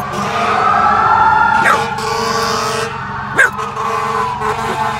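A corgi howls and yelps in fear, its wavering voice mixing with wailing fire truck sirens.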